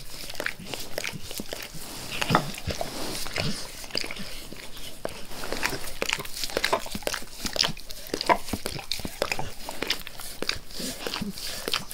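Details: Dog named Max persistently licking his owner's face indoors: a long stream of wet slurping and crisp smacking clicks, rapid and uneven, with occasional louder lapping strokes.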